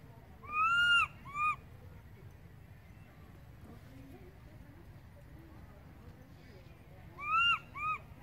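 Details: Baby monkey crying loudly for its mother, who went far away: a pair of piercing arched wails, a long one then a short one, repeated after about six seconds of quiet with faint background murmur.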